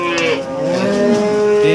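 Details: Cattle at a Nganjuk livestock market in East Java, Indonesia, with breeding cows and calves on sale: a short, steady, tonal lowing sound held for under two seconds over a busy market background.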